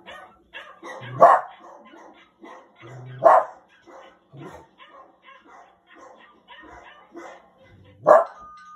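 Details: Poodle barking while watching TV: three loud, sharp single barks spaced a few seconds apart, standing out over a steady background of television voices and sounds.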